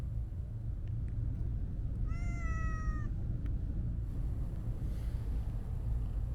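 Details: Single clear meow from a Siamese-mix cat enjoying being stroked, a smooth harmonic cry lasting about a second with a gently falling pitch, set against constant low-pitched traffic rumble and otherwise quiet surroundings.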